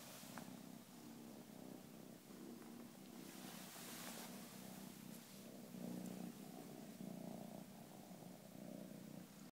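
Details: A 9-month-old pure white female domestic shorthair kitten, a lap cat, purring softly: a low, steady rumbling hum with gentle rhythmic pulses and light background hiss.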